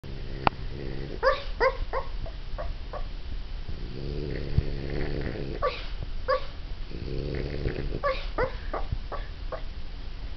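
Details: A French Bulldog dreaming in its sleep: low rumbling snore-like breaths punctuated by short rising whimpers and soft yelps in bursts, some doubled, scattered across the recording.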